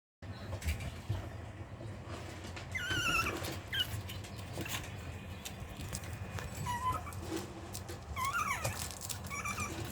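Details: Long-coated Chihuahua puppy waiting its turn at feeding time, holding back while the dogs eat in set order; thin, high whimpers rising and falling, a few short squeaks near three and eight seconds over steady indoor hum.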